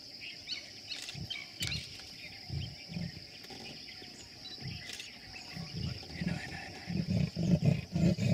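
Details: Sri Lankan leopard in Yala National Park, Sri Lanka: low rasping grunts, scattered at first, then a quicker run of rough strokes near the end. A steady high insect-like whine runs throughout, and faint chirps are heard.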